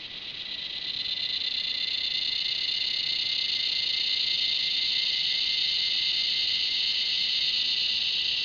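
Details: Cicada with a red bull ant, a loud continuous high buzzing drone that swells over the first second and then holds steady, with a thin band of tone beneath the main hiss.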